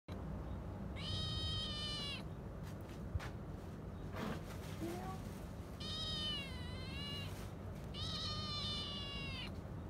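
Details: Kitten giving three long, drawn-out meows, each lasting about a second with rich, wavering harmonics and a slight dip in pitch, separated by pauses, over a steady low background hum.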